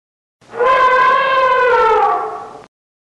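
An elephant gives a single loud, brassy trumpet lasting about two seconds, steady and then sagging slightly in pitch at the end. No other sounds are heard.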